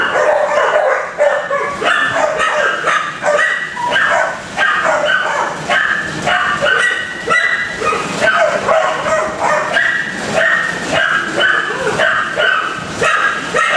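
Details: Dense kennel barking from a crowd of dogs: rapid, overlapping barks and yips pile up almost continuously, with occasional higher whimpering notes in the mix.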